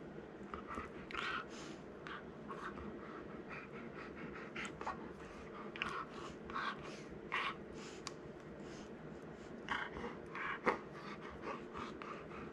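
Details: Cookie, a male Golden Retriever born in April 2019, gnaws playfully and grows excited. Breathy, rapid huffs and snorting bursts come in quick irregular runs, with soft rustling from an indoor room behind them.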